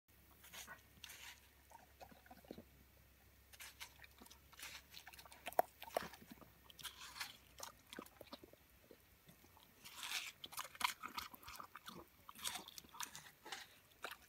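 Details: German Shepherd dog eating watermelon indoors, with quiet irregular wet crunching and smacking bites, busier toward the end, over a low steady hum.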